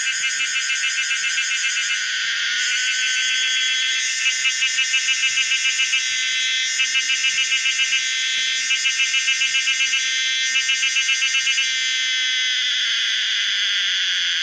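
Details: A Pomponia linearis cicada, a species living in Thailand, sings a loud, shrill, continuous buzz with a rapid pulsing throb; the sound was made from scratch.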